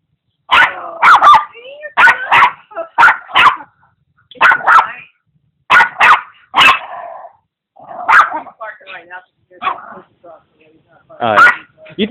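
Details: Very noisy Papitese, Putter, barking while playing with Igor, a pug mix: rapid strings of sharp, high barks in pairs and triplets, then lower whining yips and a final burst, with voices mixed in.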